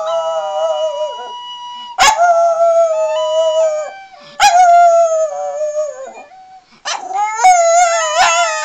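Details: Jack Russell Terrier howling along to a penny whistle playing "Dirty Old Town", long wavering howls sliding downward, the whistle's steady tune held underneath and between the dog's voice.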